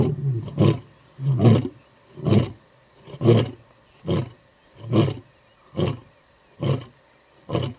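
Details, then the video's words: Territorial roaring by Skorro male lions in the Timbavati, South Africa: the closing sequence of short, deep grunts repeated about once a second, evenly spaced and gradually fading, before the males fall quiet listening for a response. "Watch How the Skorro Male Lions Roar Multiple Times to Advertise their Territory!"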